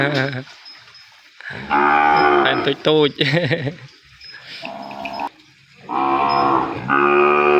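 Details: Separated calf crying for its mother in a pen: a short bleat, then several loud moos of varying length, some wavering and some cut short, alternating with quiet pauses.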